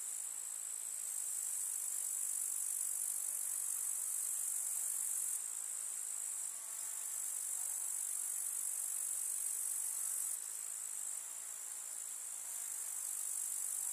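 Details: Grasshoppers of a rural summer meadow with wildflowers: an incessant high-pitched rasping trill, layered with a second overlapping chirring band that comes and goes in long spells, soft field ambience below.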